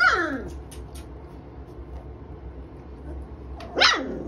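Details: Three-week-old puppies from a kennel litter: a sharp, high, squeaky yelp at the start and another brief yip near the end, over a steady low hum and soft clicking sounds.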